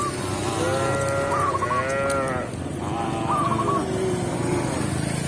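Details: Tame cow being led back to its pen by a village shepherd in the countryside. Two long, drawn-out moos with rich harmonics, each about two seconds, separated by a brief pause, over a steady low rumble and faint chirpy squeaks.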